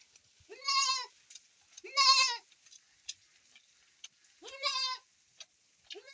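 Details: Domestic goat bleating during milking on a rainy day; three loud, wavering, nasal bleats about a second long, spaced irregularly, over a faint steady hiss.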